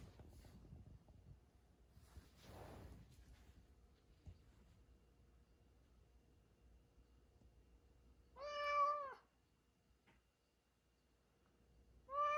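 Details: A sleeping domestic cat, described as snoring and dreaming, lets out one short, quiet harmonic meow near the end of a hushed indoor stretch, with a second meow just beginning as it cuts off; faint rustles earlier.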